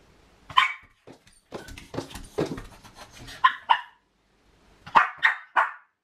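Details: Female Miniature Pinscher left home alone, barking from separation anxiety: sharp, high barks in bursts, a quick run of yaps early on, then a pair and a closing set of three loud barks.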